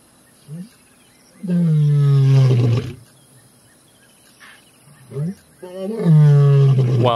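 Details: Two male lions roar near camp in the early morning around sunrise while following the scent trail of a pride. Each gives a low grunt and then a long, deep, moaning roar that swells and fades over about a second and a half.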